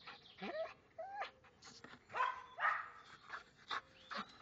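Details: A Belgian Malinois mixes short barks with drawn-out, bending whines, about two calls a second, some dipping low and rising again, against a quiet background.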